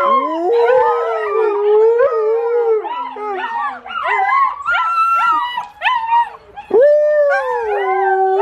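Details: Hungry 55-day-old Volga Wolfhound puppies "sing", howling together in overlapping, wavering tones that slide up and down, with their parents nearby.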